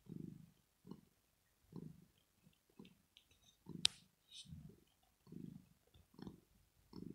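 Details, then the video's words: Purring from Rosetta, a pet cat dozing in relaxation: steady low rumbles pulsing with each breath, nearly once per second, broken once by a sharp loud click midway. "ASMR CAT PURRING SOUND"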